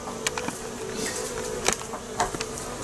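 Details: A large Western honey bee (Apis mellifera) colony inside a wall hums in a steady, low drone, broken by sharp cracks and knocks, as sheetrock is removed during a hot-weather hive removal.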